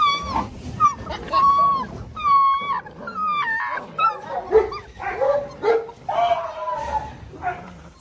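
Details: Six-week-old Belgian Malinois puppies play wildly. The clip is a chorus of high, wavering whines and sharp yips, with some drawn-out whimpers that slide up and down, overlapping one another. People talk in the background.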